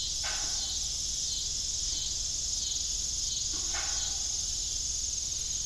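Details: An unbroken, piercing high trill of crickets in the evening at an old farm windmill; two short squeaky tonal sounds stand out over the steady insect chorus.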